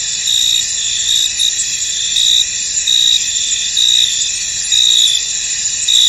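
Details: Crickets in a foggy field give a continuous shrill chorus, with louder trilled bursts arriving roughly once a second, somewhat irregularly, above the steady insect drone.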